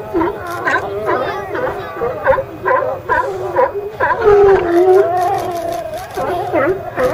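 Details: Hauled-out California sea lions calling as a crowd. Short, repeated barks about twice a second give way to a drawn-out, sliding moan, with other animals barking behind.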